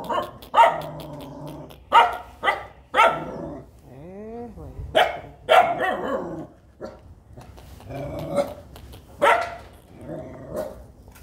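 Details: Playful baby puppies let out a rapid run of high yips and barks, broken by a sliding whine that rises and falls, then more scattered barking. Faint voices can be heard.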